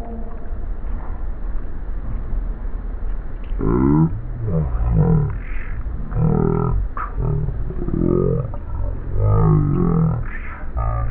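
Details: Havanese Pedro at play on a lawn with Albert, the sound slowed down into a dinosaur-like series: repeated deep, roaring, wavering groans with sweeping harmonics, about one every second or so, over a low rumbling background.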